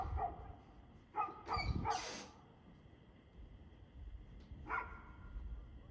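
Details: Dog barking on 2/6/2024 at 6:02pm: a few distant, sharp barks early on, broken by a loud rustling burst of noise, then one more bark after a pause, over low background rumble.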